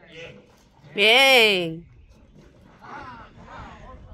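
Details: Calf in bullfighting training at a private bullfighting school, cape work under way; a single loud, arching bawl lasting nearly a second, then quieter voices giving instructions.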